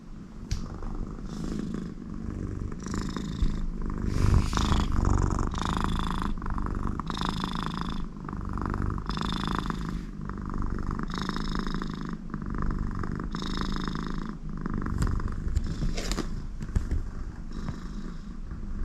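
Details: Very contented American Shorthair cat Connie purring with her owner next to her, her nose also giving snore-like sounds; rhythmic low purr with repeated breathy nasal snores on each breath, about every two seconds.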